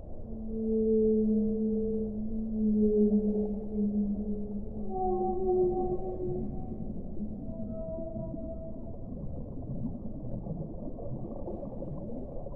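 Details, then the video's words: Whale song: long, low moaning tones with layered overtones, held for seconds and gently sliding downward, then shorter, higher wavering notes fading in over a steady muffled hiss. "suono delle balene"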